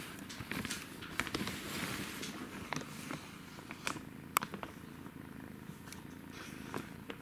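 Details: Playing kitten purring, a continuous low buzzing drone with frequent sharp clicks and rustles of movement scattered across the recording.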